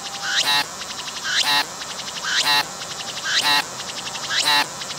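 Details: Close-up of a single cicada singing on a tree while its abdomen moves, recorded on a 180-degree 3D VR camera. A steady series of rasping, pulsed bursts, each preceded by a short upward glide, repeats almost exactly once per second.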